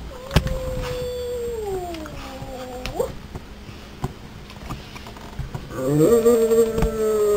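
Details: A young male English Springer Spaniel, a very vocal dog, 'talks' to his owners with long, tonal, moaning whines, one sinking in pitch before flicking upward, then a louder wavering howl after a short pause.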